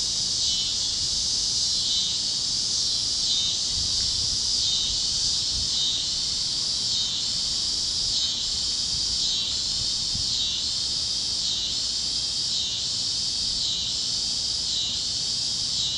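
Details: Evening cicada chorus over fields in Kansas at sunset. A continuous shrill buzzing drone pulses in waves about once per second, with other critters joining the steady wall of sound.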